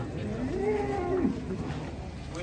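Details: A big cow being unloaded from a truck, one of three large cattle, gives a low moo that rises then falls in a smooth arch, with people talking in the background.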